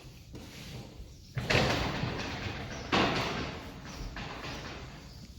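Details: Two loud door-like bangs and sliding thuds break a quiet indoor background, with no animal voice.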